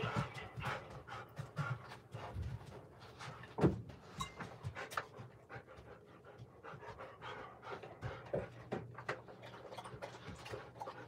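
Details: Golden Retriever heard through a home surveillance camera, breathing in quick, soft panting puffs with a sharper thump near the middle, over a low steady indoor hum.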